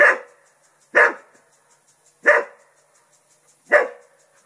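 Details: Four evenly spaced, sharp single barks, roughly one every 1.3 seconds, from Festus, an English Springer Spaniel defending his home against a turtle; otherwise quiet.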